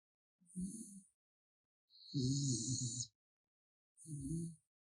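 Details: Sleeping raccoon named Gaettong-i snoring: three breathy rasping bursts, each under a second to over a second long, about every one and a half to two seconds, low and throaty with a soft airy hiss on top, otherwise quiet.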